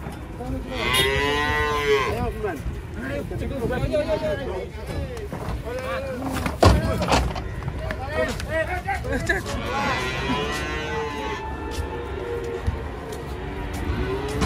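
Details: Cattle stepping down from a truck, moaning moos at the start and again later, with shorter overlapping calls and thuds filling the middle.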